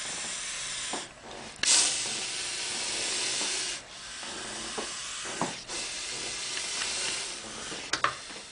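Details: Sumatran spitting cobra hissing in sustained, forceful breathy bursts, each lasting one to two seconds, separated by brief gaps, with a sharper burst near the start.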